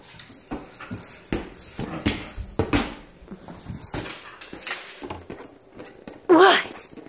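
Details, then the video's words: Nala, a female husky, playing a ball volley game indoors at home; repeated thumps and scuffles of play, then one short rising whine near the end. "Husky being crazy.."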